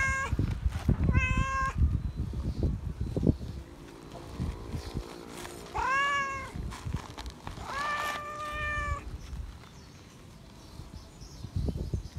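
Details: Loud attention-seeking meows from a feral cat seeking love: a short meow near the start, then two longer drawn-out meows with a rising then falling tone around six and eight seconds, amid rustling and low handling noise.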